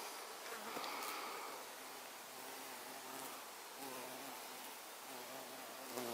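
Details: Violet carpenter bee (Xylocopa violacea) recorded on 24 September 2024: a low, droning flight buzz that comes and goes in short passes, swelling and fading as the bee moves about, over a steady hiss of background noise.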